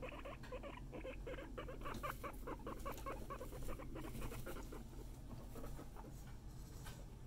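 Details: Several guinea pigs produce a continuous patter of quick, clipped squeaks and chatters, repeated several times a second throughout, above a constant low background hum.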